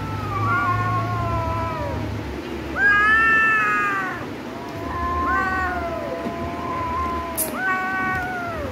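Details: Cats in a fight, several long quavering yowls with bright harmonics, each swelling then falling in pitch, overlapping caterwauls a second or two apart, plus a short sharp click near the end over low rumble.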